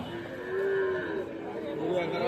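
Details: Sahiwal bull calves at Ambari cattle market in Tangail, 13 January; a drawn-out low moo swelling near the middle, with market chatter and voices of traders around.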